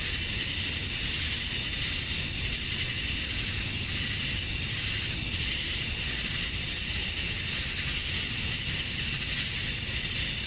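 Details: Summer dusk chorus of male cicadas calling for females in Georgia, USA, an unbroken shrill buzzing wall of sound that swells and eases gently every second or two, over a soft low background murmur.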